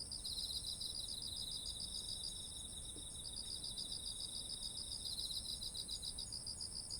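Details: Autumn insect voices beside rice heavy with grain, recorded on a ZOOM H1essential; continuous rapid pulsed chirping in two close high bands, a steady high-pitched whine above, faint low ambient noise.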